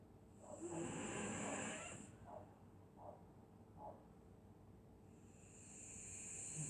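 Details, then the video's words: A dog asleep during a Scottish winter night gives a loud hissing snore, then three soft short puffs a second apart, and a fresh airy snore begins near the end; faint background hum throughout. "Dog snoring in Winter night"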